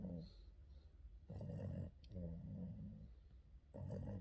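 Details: Boston terrier Yoda dozing during an afternoon nap with scratches: three loud, grating snore breaths, each about half a second to a second long, separated by short quiet pauses in a small room.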